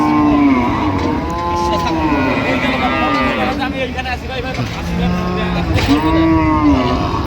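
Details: Cows and calves at Ambari cattle market in Dinajpur on 16 January 2026: repeated deep, sliding moos, several overlapping, with a final rising-then-falling bellow, amid market chatter and background bustle.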